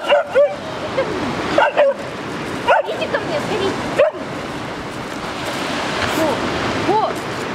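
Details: A scared female West Siberian Laika, Fira, stuck at a riverbank, gives a series of yelping barks with rising and falling pitch, spaced a second or more apart, mixed with a woman's calling voice and constant water noise.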